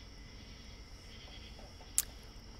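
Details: Real cicadas outside a window, picked up by a microphone behind a curtain and amplified, hold a steady, high, hissing drone with no breaks over a faint low rumble; it sounds much the same outdoors.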